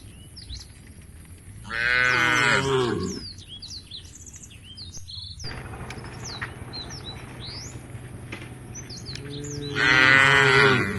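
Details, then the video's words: A tame cattle herd walking toward a forest-edge field: two drawn-out, wavering moos several seconds apart, over a steady background of chirping birds and low outdoor noise. "A herd of tame cows is walking towards the field at the edge of the forest, the sound of the cows"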